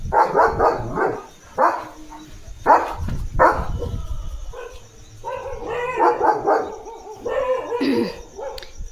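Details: Leo, a German Shepherd who stands at the gate day and night protecting his house, gives a run of deep, harmonic barks in quick clusters, then a longer, more drawn-out stretch of voiced, bark-like sound.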